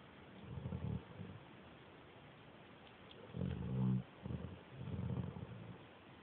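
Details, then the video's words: Recorded on an Android phone, a slumbering dog snores like a small pig: short low grunting snores, a long silent pause, then a cluster of rumbling, buzzy breaths, one noticeably louder and more tonal. "My mom's dog snores like a little pig"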